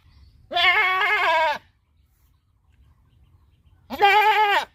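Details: A goat on a farm gives two long, wavering, nasal bleats about three seconds apart, each lasting around a second, with quiet surroundings between.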